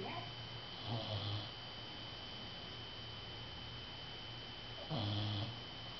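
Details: Male dog sleeping indoors and snoring: two low, rasping snores about four seconds apart, each lasting roughly half a second, over a steady faint electrical whine and quiet room hiss.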